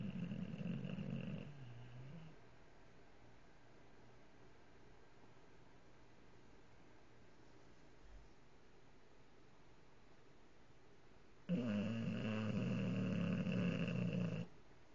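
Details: English bulldog snoring with his eyes open: a deep, rough, rattling snore for about two seconds, a long quiet pause, then another harsh, buzzy snore of about three seconds.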